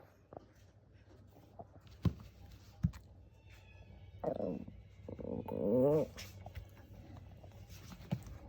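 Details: Shih Tzu dog giving a short burst of rough vocal sounds, then a louder, wavering, voiced roar-like bark lasting about a second, with faint taps and background noise around it.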